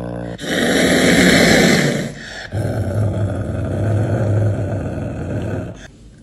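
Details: Caracal Floppa Marx, hissing as it eats, gives a harsh rasping hiss for nearly two seconds, then a low, steady growl lasting several seconds, with faint human talk.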